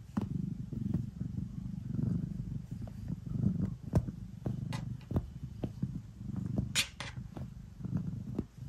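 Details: Cat purring while kneading at bedtime. A low, pulsing rumble swells and fades in waves. Scattered soft clicks and one brief higher scratchy rustle near the end.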